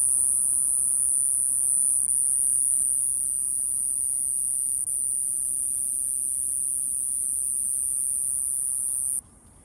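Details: Iwasaki grass cicada singing on 28 April 2024 until it flew off. The song is a steady, very high shrill buzz held without a break for about nine seconds, then it stops abruptly.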